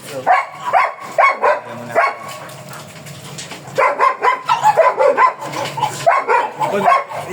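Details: Black German Shepherd Dog at a stud service in Manaoag, Pangasinan, barking in sharp bursts: a few spaced barks, a pause, then a rapid run of repeated barks, with people talking quietly in the background.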